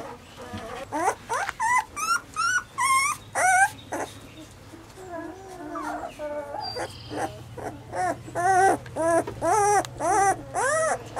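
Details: Weimaraner puppies give a steady run of high, wavering whimpers and yips. The cries arch sharply up and down, come roughly twice a second, and pause briefly midway.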